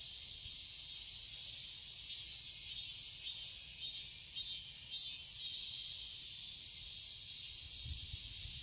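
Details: Summer cicada chorus in a Seoul garden, Korea. A continuous high-pitched sizzling drone carries a run of pulsing swells in the middle stretch before settling back into an even hiss.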